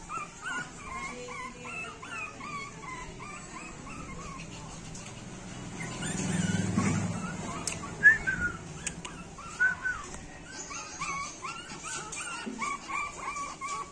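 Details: Shih Tzu. A small Shih Tzu keeps up a run of high, nasal yips and whimpering barks in short uneven bursts. A low rumble swells briefly midway, then a few sharper yaps cut through.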